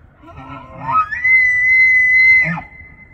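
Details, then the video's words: A bull elk bugles during the autumn rut in Banff, Alberta, Canada: low grunting notes lead into a sharp rise to a clear, steady high whistle held over a second, then a rough drop at the end. "5 Minutes of BULL ELK BUGLING"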